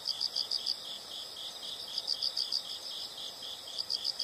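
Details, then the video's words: Insects heard in a soothing nature recording: shrill, high chirps come in quick bursts of several beats, separated by brief pauses, over a soft, hissy background. "the sound of insects"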